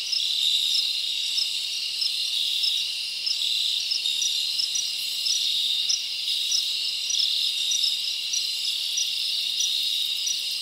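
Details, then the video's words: Crickets chirping at night in a summer forest: a dense, steady high-pitched shimmering chorus, with brighter short chirps pulsing on top at a quick, even rhythm. No other animals or noises stand out. "Live Crickets Natural Sound ASMR"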